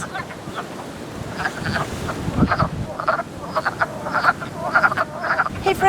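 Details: Frogs calling after dark at a vernal pool in early springtime, a duck-like quacking chorus of many overlapping short clucking notes, some rising, with a low rumble of wind or water beneath.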